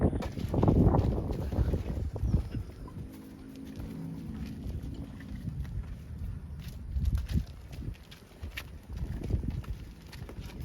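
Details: Tame cow from a herd resting on a rice field road, giving a low, drawn-out moo of about two seconds, amid steady wind rumble and hoof-like clopping steps.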